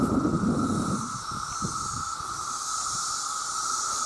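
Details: Millions of male cicadas crying out for mates: after a short burst of low rumbling noise, an even, sustained high-pitched buzz and a faint hissing overtone hold steady to the end.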